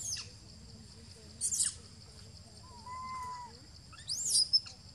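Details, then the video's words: Baby monkey Jinx crying, possibly from hunger: one drawn-out, steady whining note lasting under a second, with high chirping bird-like sweeps before and after over a low rumbling background. "What Happen For Poor Baby Monkey Jinx Why Crying Like This? Maybe Poor Baby Jinx is Hungry"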